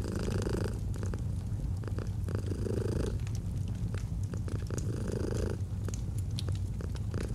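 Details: A domestic cat purrs softly as autumn ambience: an unbroken low throbbing purr rising and falling with slow breaths roughly every 1.5 seconds, while a fire snaps and crackles in the background.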